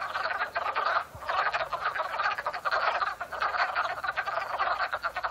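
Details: Loud springtime frog chorus from a pond in Upstate New York, April 2014, early afternoon; steady overlapping trills with a short dip around one second, then the dense calling resumes.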